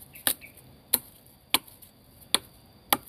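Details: Sharp chopping blows on wood land about every half second over a quiet background, with no animal sound.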